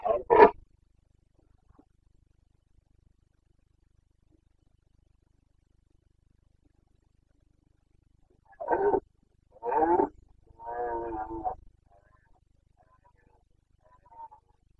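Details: Carpathian red deer stag roaring in the Bucovina rut (boncănit), September 2022: one short, loud bellow, then a long silence, then three harsh roars close together, the third drawn out and throaty.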